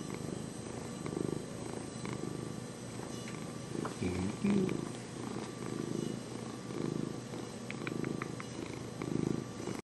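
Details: Domestic cat purring steadily, a low continuous rumbling throb that swells and fades in slow pulses across the whole recording, with faint background hum and a few soft clicks.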